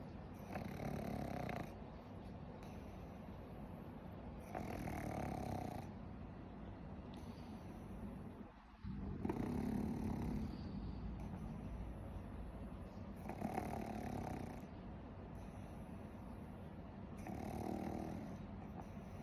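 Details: Warabi, a pet pug, snoring while asleep: long rasping, rumbling breaths recur roughly every four seconds, each swelling for over a second, with quieter gaps between.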